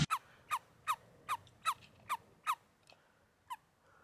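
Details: A common toad (European toad, Bufo bufo), just caught in Germany or Greece in early summer at dusk after rain, calls with short, croaky notes repeated quickly, about two or three each second.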